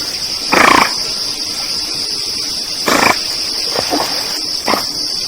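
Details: Several giant otters calling together in the Pantanal wetlands of Brazil: a raspy burst with a falling whistled tone, then a second harsh cry and two shorter rough notes, all against a constant high insect hum.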